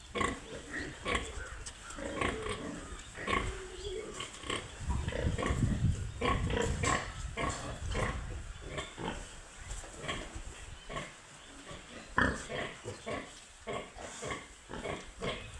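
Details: Piglets on a pig farm, many overlapping short grunts and squeaks in quick irregular succession, low rumbling tones mid-clip, a sharp higher squeal near the end.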